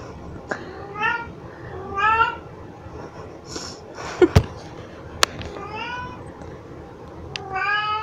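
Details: Pixie, a very vocal pet cat, meowing while carrying cat toys around, filmed in 2022: four drawn-out harmonic meows about a second apart, with sharp knocks and clicks between them.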